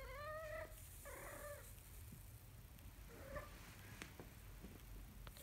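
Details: Two high kitten meows in quick succession, the second rougher, from a kitten learning to walk, then a faint short mew amid clicks and shuffling noises.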